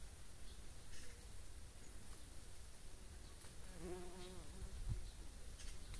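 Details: Bumblebees, mostly males with occasional females and young queens, foraging on thistle flowers; a brief wavering buzz from one passing bee swells and fades near the middle, over a steady low outdoor rumble.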